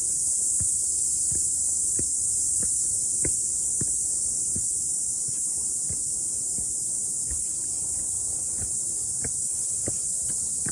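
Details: Cicadas singing after the rain on a morning hike up a mountain: a relentless high, sizzling drone, with steady crunching footsteps roughly twice a second.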